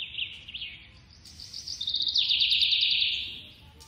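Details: Baby squirrel being hand-fed, giving high, thin chirps that run into a rapid pulsed trill of about a second and a half, then fade out. No other clear sounds.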